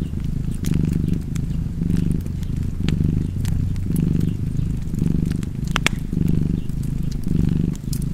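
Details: Domestic cat purring in a cozy fireplace setting, a deep continuous rumble pulsing roughly once per second with breathing, scattered with bright crackles and snaps from the fire.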